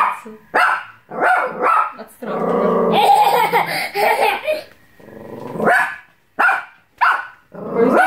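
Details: A female Bichon Frise barking at her own reflection in a mirror, which she took for a threat, gives sharp, high yapping barks broken by a rough, snarling growl.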